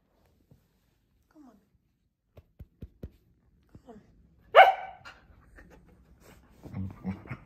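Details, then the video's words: Scottish Terrier Rory in a tantrum with his owners away on holiday: scattered soft taps and clicks, one loud abrupt bark midway, then low murmuring voices. "Scottish Terrier Rory having a tantrum"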